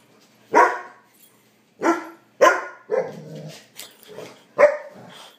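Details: Trigger, a pet puppy dog, barks insistently while demanding his dinner: four sharp, bright barks spaced about a second apart, followed by softer whining, grumbling vocalizations in the final seconds.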